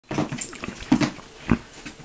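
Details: Miniature Pinscher bouncing at dinner time indoors, giving three short nasal whining yelps about half a second apart.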